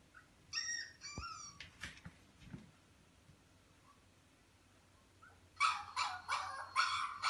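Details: Lovely dog at play gives high, whining whimpers with clear overtones at first, falls quiet for a few seconds, then breaks into a run of sharp, yelping barks in quick succession.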